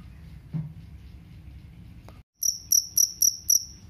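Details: Jangkrik kalung cricket, heard as a rat-repelling sound: after a low hum and a brief silence, five loud shrill chirps follow in quick succession.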